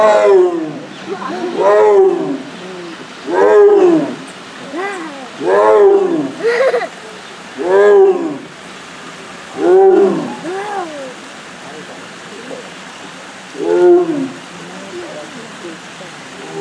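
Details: A Sumatran tiger at Yokohama's Zoorasia zoo, filmed 16 November 2019, gives a series of moaning roars, each rising then falling, about every two seconds.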